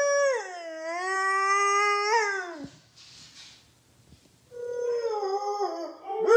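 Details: Loki, a pet Siberian husky, howling in a morning duet with his owner: long harmonic howls sliding down then holding steady, a short pause, then a wavering rising howl starting again.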